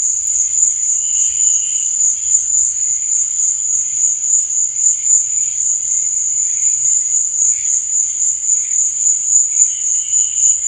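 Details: Nighttime crickets, their thin, piercing trill sustained without pause, and fainter chirping bursts rising now and then below it.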